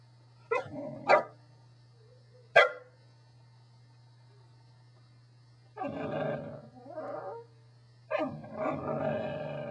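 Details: A Corgi, a pet dog, gives sharp barks and harsh, grumbling vocal bursts in an irregular series, some short and some drawn out for over a second, over a steady low electrical hum.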